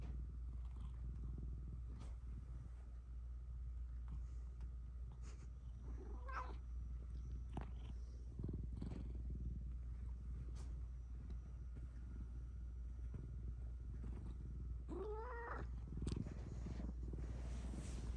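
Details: Domestic cat in a therapy session, a low rumbling purr running throughout with two short rising meows near six and fifteen seconds and light handling noises.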